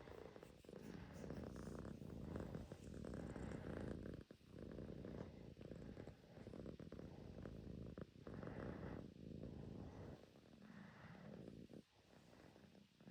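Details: Pet Russian Blue cat purring: a continuous deep rumble that pulses rhythmically and swells and eases as breaths alternate, with short quiet gaps near four and eight seconds.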